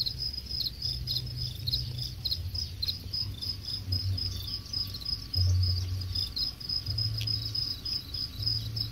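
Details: Many farm-raised crickets, about ten days from harvest at a cricket farm in Khon Kaen, chirp together in a steady, high, rapid trilling over a low background rumble.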